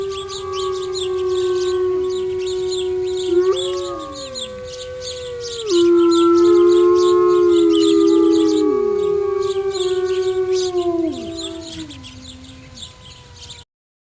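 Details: A mother gray wolf (Canis lupus) and others howl in long, overlapping tones that hold steady, then slide downward, over a constant insect chorus.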